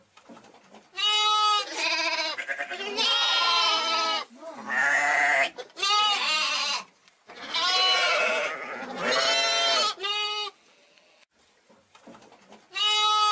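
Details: A young sheep (lamb or hogget) bleats loudly and repeatedly, with wavering, nasal calls separated by brief pauses.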